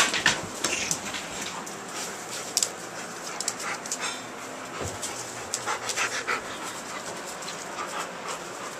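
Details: Eight-week-old Alaskan Malamute puppies, among them a woolly Malamute named Maya, heard at close range: quick irregular panting breaths and sharp scuffling clicks over a steady hiss, with no clear barks or whines.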